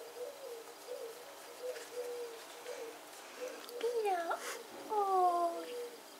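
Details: Rescued cats held for adoption by an animal association; soft low mewing sounds repeat in the background, then two louder drawn-out meows with clear falling harmonics close the recording.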